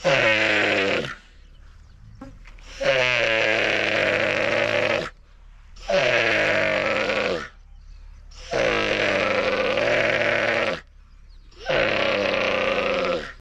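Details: Young dromedary camel crying in northern Sudan. Five long, rasping, bleat-like groans, each lasting about two seconds, with pauses of roughly a second between them. No other sounds stand out.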